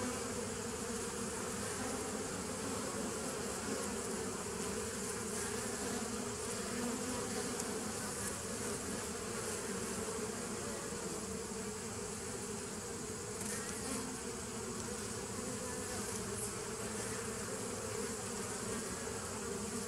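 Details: A swarm-like chorus of bees on 27 September 2018, humming evenly and thickly, the deep tones never fading, with a faint brighter shimmer above.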